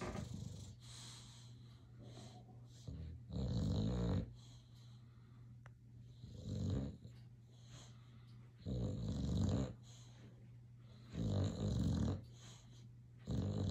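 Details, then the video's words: Boxer dog snoring while asleep and dreaming, each loud, rough, low inhalation lasting about a second and repeating roughly every two and a half seconds, separated by quieter wheezy breathing. "Boxer dog snoring and dreaming"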